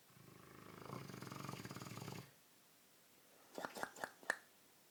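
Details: Dogue de Bordeaux asleep and snoring: a deep, rapidly fluttering snore drawn out over about two seconds, then silence broken by several short knocks and clicks.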